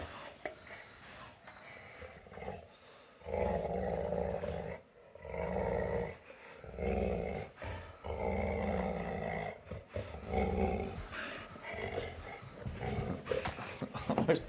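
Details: American Pit Bull Terrier named Zeusy growling while fighting his brother over a ball indoors; low rumbling growls come in bursts of a second or two, with a woman's voice, laughter and music in the background.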